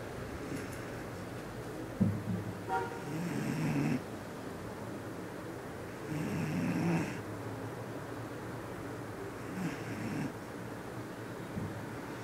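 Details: A very tired female Bull Terrier, worn out after training, snores in low, rumbling breaths that come roughly every four seconds.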